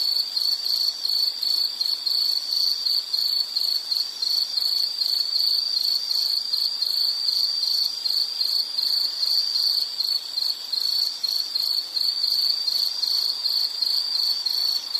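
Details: Quick series of sharp insect chirps, close to three per second, each a brief ringing high-pitched pulse on one steady note, loosely regular, over faint hiss with nothing else audible.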